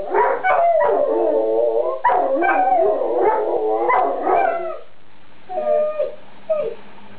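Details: Two dogs howl together in overlapping wavering tones with yips mixed in, then the chorus drops away after about five seconds, leaving a few faint whimpering notes.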